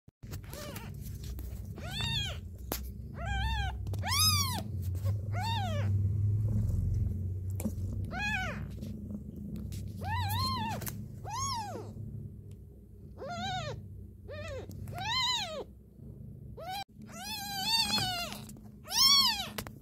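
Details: Kitten crying with a series of high, arched meows, each rising then falling, about a dozen calls spaced irregularly across the stretch, over a steady low rumble and hum in the background.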